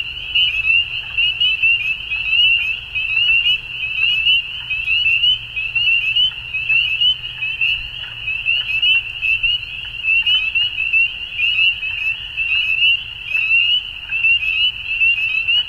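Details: Spring dusk chorus of frogs in Ontario, Canada, with many high-pitched peeping notes overlapping into a steady shrill wall of sound. Individual calls pulse roughly once a second above a soft low background hum.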